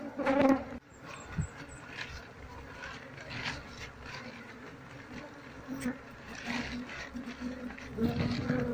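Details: Asian honey bees of a wild colony droning as the keeper hunts for the queen to transfer the swarm to a box; continuous low buzzing with bursts of handling knocks and a louder swell near the end.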